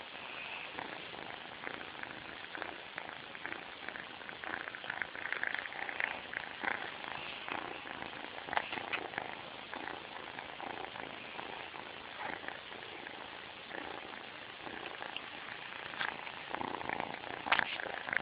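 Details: Sleeping kitten snoring very loudly indoors, with a rough, rasping breath noise pulsing steadily through the whole stretch and no other clear sounds.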